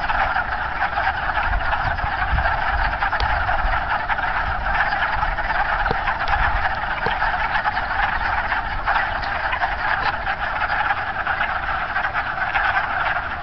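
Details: A dense spring chorus of wood frogs in a pond on March 9, many clucking, duck-like calls overlapping into a steady rattle.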